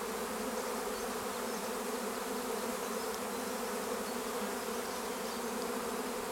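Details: At Longué-Jumelles in France, a honeybee swarm circles near firs before clustering: thick, constant droning of massed wingbeats, a low even hum with scattered fainter buzzes above it.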